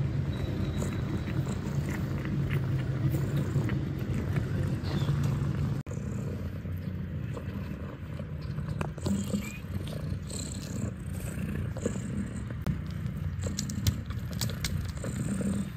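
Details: Kittens suckling at their mother in the Catfe cat cafe, Ho Chi Minh City, Vietnam. Low throbbing purr with scattered clicks and rustles, a brief break about halfway, then the rumble carries on more unevenly.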